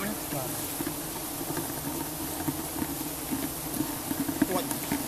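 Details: Giant honeybees swarming during a honey harvest give a steady, low droning hum with faint overtones above it. Brief human voices and scattered rustling mix in.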